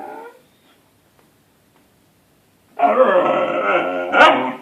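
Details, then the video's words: Siberian Husky puppy asking to play, a brief whine at the start, then silence before one sustained, harsh, wavering moan lasting over a second, ending in a sharp click. "Siberian Husky puppy wants daddy to play"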